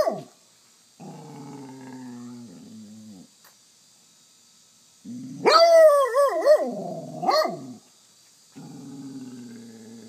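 A basset hound begs for treats with low grumbling moans and a loud, wavering baying whine.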